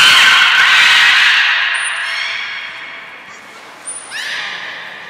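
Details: Belugas Gray, Nana and Mirai at Port of Nagoya Public Aquarium, 10 February 2024, during training: a loud, broad squealing call that fades, two thin high whistle blasts, and quick rising chirps near the end.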